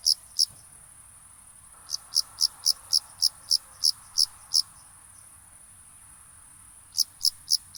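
A cricket gives bright, high chirps in quick bursts of pulses, over a steady high hiss.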